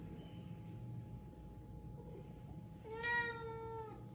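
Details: Domestic cat wanting to eat crunchy biscuits, giving one clear drawn-out meow near the end, steady then slightly falling, after a quiet stretch with faint background hum and a steady tone.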